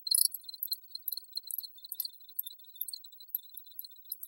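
Crickets chirp in high, thin, rapid pulses that repeat steadily with no pause.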